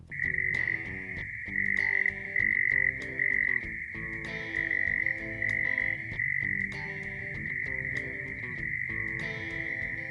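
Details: Single male prairie mole cricket in Oklahoma giving its mating call, which starts at sunset, with wind noise filtered out: a steady, pure, high buzzing trill broken into short bursts with brief gaps, over faint harmonic tonal sounds.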